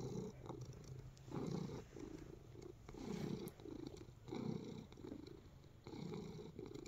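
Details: Pet cat kneading and purring contentedly at close range, low buzzy rumbles rising and falling with its breathing, several pulses over a few seconds, light rustling underneath.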